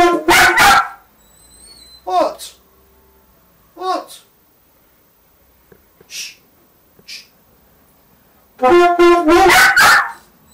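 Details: Westiepoo named Teddy objects to someone learning the saxophone. Short yelping barks come in scattered bursts between stretches of near silence and a man's voice. A louder cluster of barks closes the sequence.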